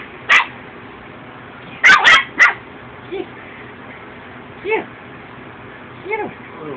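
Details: Ten-week-old female Chihuahua puppy wrestling with another Chihuahua; short, sharp yips at intervals, with a few brief higher squeals and quieter arched whines between long pauses.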